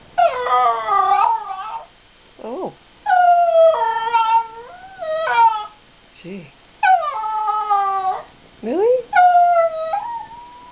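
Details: Female pet schnauzer 'singing', giving wavering, harmonic howls in phrases about a second long, broken by short rising yelps, repeated across the stretch.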